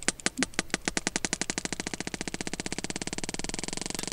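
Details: Sperm whale; echolocation clicks; echolocation used while feeding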